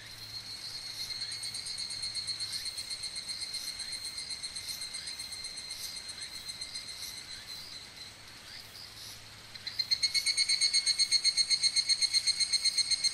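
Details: Higurashi cicada in Okumikawa, Japan, giving a high, chiming pulsed trill that slowly fades, followed near ten seconds by a louder, closer cicada's crisp, evenly repeated metallic pulses.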